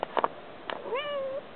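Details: Domestic cat meowing outside, wanting to be let back into the house: a few short clicks and thumps, then one clear rising-then-level meow of about half a second; a person speaks softly nearby.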